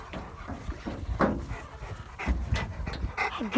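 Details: Cane da Presa Meridionale mastiffs, kennel dogs allowed to chase and catch a truck, panting in short breathy bursts after the run, with faint whimpers and low vehicle rumble behind.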